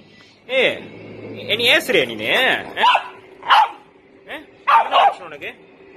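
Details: Chihuahua kept as a pet, with wavering yelps and whines running into a string of short high barks, irregularly spaced, while a person talks alongside.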